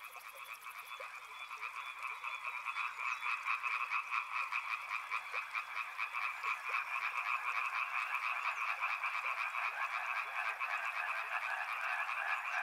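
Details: A dense frog chorus by a river, recorded as soothing nature sound: rapid pulsed croaks stacked in two bright bands, roughly 140 pulses a minute, swelling slightly louder after eight seconds, with a brief high buzzy trill at the very start.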